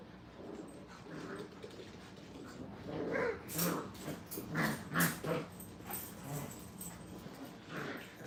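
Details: Five-week-old puppies at a training kennel playing together, giving a run of short growls, whimpers and yips in quick irregular bursts, loudest in the middle, over a steady room hum.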